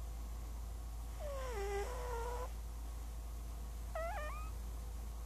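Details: Princess Squeaks, a domestic cat asleep and dreaming, lets out two short squeaky sounds: a longer wavering whine that drops in pitch, then a brief high chirp, over a constant low hum.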